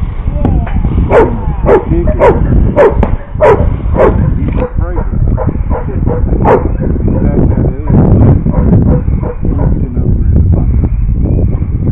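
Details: Giant Schnauzer barking in sharp bursts, roughly every half second through the first four seconds, then scattered, rougher barks, with a man talking over and between them and a steady low rumble underneath.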